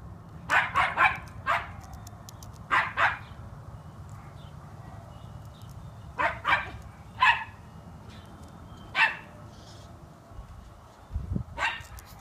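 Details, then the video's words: One-year-old black Miniature Schnauzer named Junior barking on first seeing a squirrel this close, with more squirrels in a tree; sharp barks come in short clusters of two or three, scattered over the stretch, over low outdoor rumble and a person urging him to be nice. "One-year-old black Miniature schnauzer seeing a squirrel"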